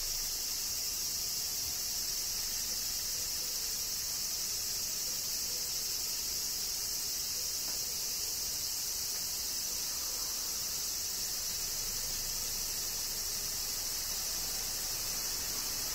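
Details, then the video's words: Cicadas singing through a summer rain in Kyoto, Japan; the shrill, even drone stays level from start to finish over a quiet low hiss. "Cicadas Summer Rain - Zen Sounds of Kyoto, Japan"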